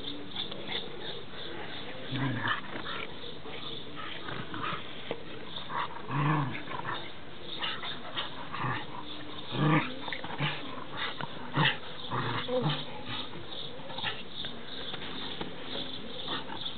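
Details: Two eight-week-old pinscher puppies, recorded 13 June 2013, making soft low growls and short yips scattered through the recording, with a few louder bursts, over a muffled, steady background hiss.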